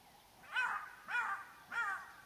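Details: Black-backed jackals give sharp, yelping alarm calls about every half second on a clear morning, a sign a predator is nearby, with lions heard roaring to the north and a male lion then found.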